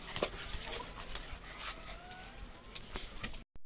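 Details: Six-week-old puppies heading outside for a walk give faint, thin whimpers that rise and fall, scattered over soft pattering footsteps and indoor shuffling.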